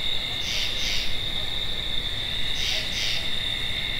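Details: Tree frog calling in paired rasping notes, two double calls about two seconds apart, over a steady high insect drone.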